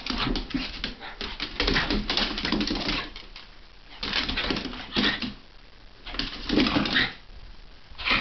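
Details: Monty, a Havanese, and Calvie, a Jack Russell, play fight and wrestle in January 2010; rough, breathy growls and scuffling come in bursts, with short quieter gaps and a few thin high whimpers.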